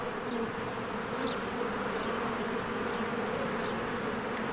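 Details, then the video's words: Busy spring beehive, honeybees streaming in and out, a constant low buzzing hum, with one brief high bird chirp near the middle. "1 Hour of a Beehive ASMR"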